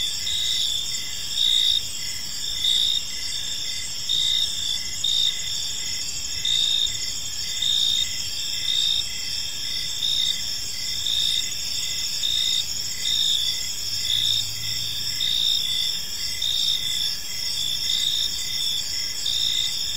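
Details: A chorus of crickets fills an evening park with unbroken shrill trilling and brisk repeated chirp pulses, volume swelling about once a second; a brief low hum appears near the end.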